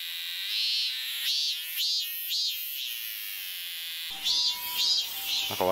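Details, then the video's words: Summer cicada singing near a historic Japanese inn on 7 August 2020, agitated when approached; high buzzing drone with pulsed surges, then a man's voice and soft music near the end. "その本人はどこにいんのかな?あ、いた、いた。泣いてる、泣いてる。"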